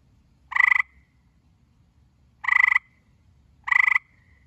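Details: Gray tree frog giving three loud, rapidly pulsed rattling trills, each lasting about a quarter second, spaced roughly one to two seconds apart against near silence.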